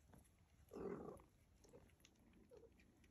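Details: A mother cat with her kittens, playing, getting mad and hungry, gives a brief rough, throaty burst lasting about a third of a second, followed by two faint, soft murmurs over low background rumble.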